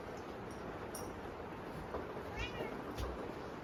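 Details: Kittens meowing out of hunger at dinner on a typhoon day: a single short, high meow midway through, with dull knocks and the constant hiss of heavy rain.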